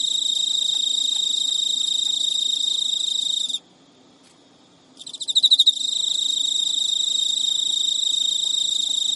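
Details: Captive male Emma field cricket singing courtship song to a female that refuses to mate, at midnight in early September in Japan; steady high trill broken by one silent gap, resuming with several loud stuttering pulses.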